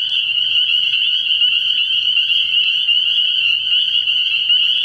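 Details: Night chorus of many spring peepers at a frog pond in early spring: unbroken, piercing high peeping from countless overlapping callers, with no other clear sounds.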